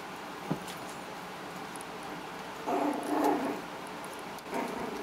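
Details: Havanese puppies four weeks old, a litter of four males and one female, playing with littermates and toys; short low growly grumbles and whines in bursts around the middle and end, over steady background hiss.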